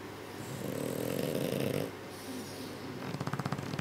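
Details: A sleeping French Bulldog, one of two, gives a long, raspy, low rumbling snore, then quick fluttering snorts as breathing turns choppy; the caretakers suspect sleep apnea; French Bulldog.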